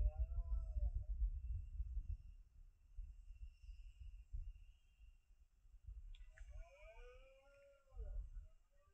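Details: Rutting red deer stag bellowing in the Sierra de Andújar, 10 September 2024, late afternoon at 5 pm: two separate groaning roars, one at the start and a stronger one later, with constant high buzzing and low rumble behind.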